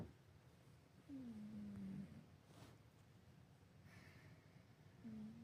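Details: Sleeping 24-year-old tabby cat named Bob snores away, each breath a smooth, gently falling hum lasting about a second, with a long quiet gap before the next begins; faint room noise underneath.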